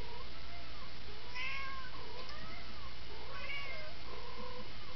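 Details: Anxious house cat, reportedly upset that its friends are in trouble, uttering a run of curved, plaintive meows that rise and sag in pitch, coming in quick succession against persistent low hum and hiss.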